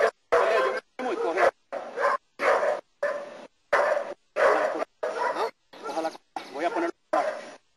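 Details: During protection work in Costa Rica, Nero the German Shepherd gives deep, rasping barks in quick succession, about one and a half per second, while a person talks between them.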